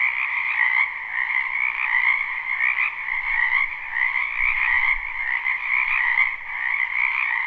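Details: Live, unlooped recording of many frogs croaking together in a spring wetland: a rich droning chorus of rapid trills with uneven surges roughly every second or so, and a faint low rumble in the middle.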